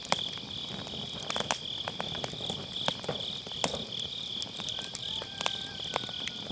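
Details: Grass insects on an autumn night beside a round campfire, recorded on an MKE600 microphone with low-cut: a steady high shimmering trill runs throughout, with sharp crackles and pops of burning firewood scattered across it.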